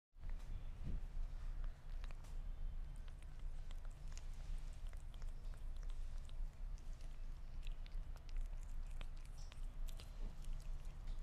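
A Sphynx cat chews meat with wet, crunching clicks over a low, steady rumble.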